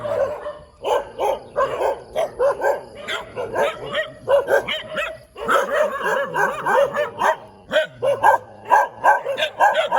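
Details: A dog barking in the morning in the middle of a road, a dense run of short, sharp barks repeated rapidly for the whole stretch, with only brief pauses between bursts.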